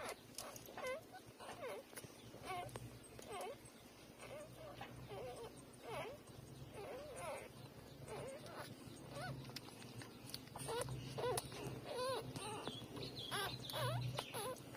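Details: Nursing newborn puppies, three days old, keep up soft repeated whimpers about once a second, thin rising-falling squeaks over constant rustling and a low background hum.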